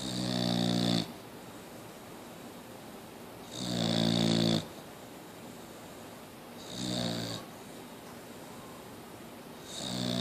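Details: Mia, a Boxer, keeps snoring in a quiet room; loud, grating snores roughly one second each alternate with softer ones, recurring about every three seconds.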